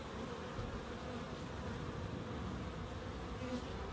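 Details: Dense humming of bees in a small wildlife garden in Crookes, a thick low drone that stays constant, with a few faint higher whines drifting over it.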